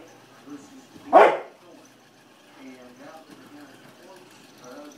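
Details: American bulldog playing with a bumble ball: one loud, harsh bark bursts out about a second in, followed by quieter, lower tonal sounds repeating through the rest of the recording indoors.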